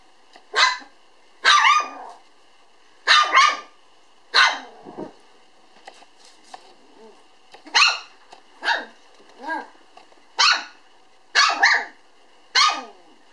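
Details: Black female toy poodle puppy, born June 18, 2012, recorded November 9 at a breeder: sharp high barks in short bursts, about eleven over thirteen seconds, some doubled, with a steady electrical hum behind.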